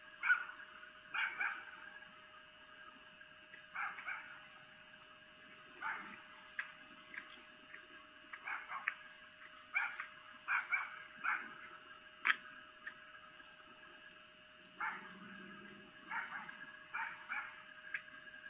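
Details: A female red fox (vixen) gives a series of short, harsh, yelping mating calls at night, 23:25 on 3 April 2018, in Lolo, Montana.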